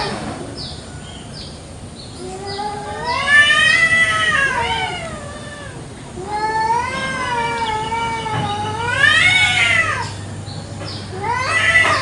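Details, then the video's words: Village cats in Indonesia fighting over territory in a garden at morning, exchanging repeated long, warbling howls that climb and sag in pitch, each bout louder and shriller, with faint high chirps and a low hum behind. "KUCING BERTENGKAR HEBAT BEREBUT WILAYAH"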